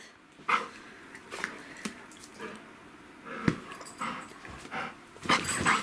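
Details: Male golden retriever panting on a bed at bedtime while doing tight circle zoomies and refusing to get off; short breathy bursts come irregularly, with a louder huff near the end and faint rustling.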